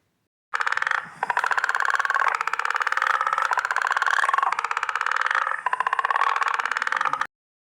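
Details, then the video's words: A guttural toad, a nocturnal animal, calls at night with a long, rapid pulsed trill, harsh and snoring in tone, with brief pauses. "Did you hear the guttural toad?"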